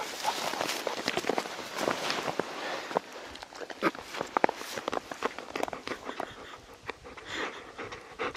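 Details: Labrador Retriever on a mountain walk through sudden heavy late-March snowfall in Gangwon-do, Korea; quick breathy panting mixed with crunching footsteps in snow.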